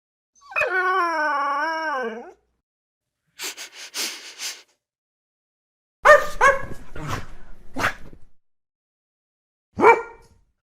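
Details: Dog sounds: a long wavering harmonic howl lasting nearly two seconds, then a short pause, a brief rough burst, and later clusters of sharp barks followed by one final bark.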